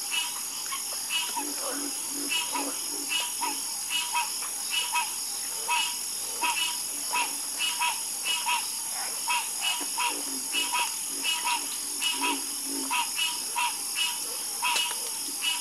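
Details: Night chorus of frogs, brief croaks repeating roughly once or twice a second from several callers, layered over a constant high-pitched background drone.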